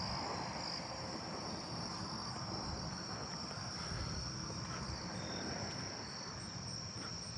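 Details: Southeastern field crickets trill steadily in a high, unbroken buzz amid a dense night insect chorus on 8/11, with jumping bush crickets and a robust conehead also calling nearby.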